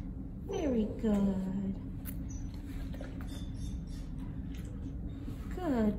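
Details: Noah, a five-year-old tan and white male mastiff/pit bull mix, gives two high, sliding whines that fall steeply in pitch, then a third near the end. A woman speaks softly and praises him over a steady low hum.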